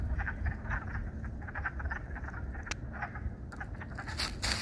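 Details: Chorus of spring peepers at Beaver Brook in spring, many short high peeps overlapping several times a second, with a low continuous rumble beneath and a few sharp clicks and rustles near the end.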